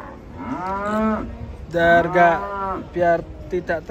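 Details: Cattle unloaded from a truck give a few deep moos: one long low call, then a stronger, richer bellow, followed by short clipped lowing bursts.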